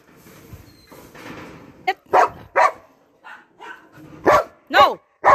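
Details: Kratos, a Belgian Malinois given a carabao horn on April 1, 2021, lets out several loud, abrupt barks between a person's repeated commands of "sit" and "no" indoors.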